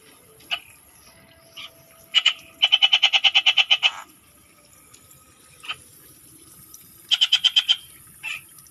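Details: Rural Philippine frog giving bursts of rapid rattling pulses, one long series of about a dozen notes and a shorter one later, with scattered single clicks and quiet night background between.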